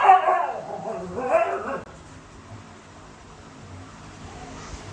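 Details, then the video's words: Siberian Husky puppies with their mother: a short burst of bright, yelping barks and whimpers in the first two seconds, then only low room hum. "Husky puppies"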